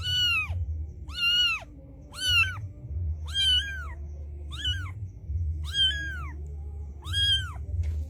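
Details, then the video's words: Mother street cat summoning her white kitten with seven clear, bowed meows in an irregular series, each rising then falling, above a constant low rumbling background. "A Mother Cat Calls Her White Kitten Come to Her"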